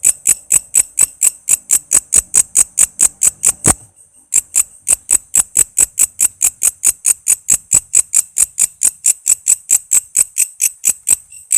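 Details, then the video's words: Walang kece cicada singing, a recording used as master sound for training songbirds such as murai, lovebird, cucak ijo and kacer: sharp, very high ticking pulses about twice a second, pausing briefly near four seconds before resuming steadily. "Suara walang kece gacor buat masteran murai,love bird,cucak ijo,kacer dan burung ocehan lainya."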